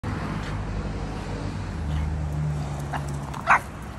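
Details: A Boston Terrier in the United States, meeting a Christmas snowman, gives a single sharp bark over a steady low rumble.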